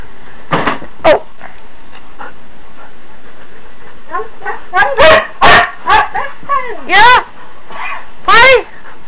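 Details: Huskies talking in the morning because they need to go out; wavering, yodel-like howls and short yips that bend up and down in pitch, several bursts clustered together, with a person talking to them in between.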